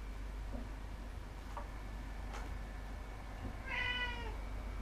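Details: Domestic cat at home uttering one brief meow near the end, bending downward in pitch, preceded by soft taps and faint noises over steady hum.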